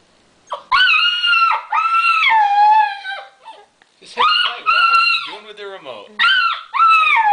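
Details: Alaskan Malamute puppy about 8 weeks old, indoors, 'talking' in reaction to a creaking door in a Lowe's TV commercial: loud, drawn-out, harmonic howl-like cries, some sagging downward, in four bursts with short pauses.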